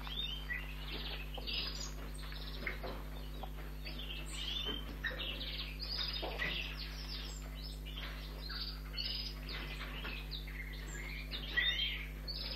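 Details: Hand-feeding of an orphaned young red squirrel at a rescue station, its ears only recently opened: continuous thin high-pitched chirps and squeals in uneven clusters, steady low hum behind.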